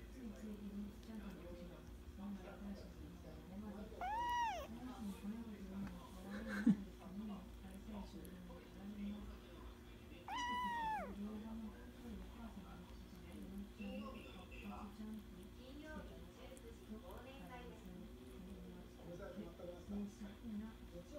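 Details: Kitten relaxing at a kotatsu, licking then play-biting; two clear drawn-out meows, rising then falling, near four and ten seconds, over a steady low indoor hum, soft shuffling and quiet speech.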